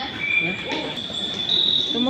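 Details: Crickets inside the national museum, a steady high-pitched ringing trill held without a break, with a second brief tone near the start and a soft background murmur.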